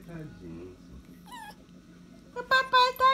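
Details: Pet dog calling its owner, called daddy: low human voices murmur indoors, then a short whine is heard. Three louder, quick, wavering whimpering cries follow in close succession.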